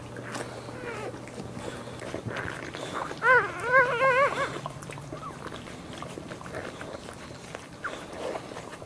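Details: Boxer bitch whelping four puppies, tending the second newborn as it moves toward the teat for its first feed; a short cluster of quick, wavering high whimpers mid-clip, surrounded by quiet shuffling and background hum.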